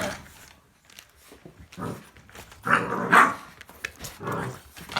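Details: American Bully puppy, born 25 December 2018, indoors, giving rough, low growling barks in short bursts, loudest near the middle of the recording, with quieter grumbles between and little other noise.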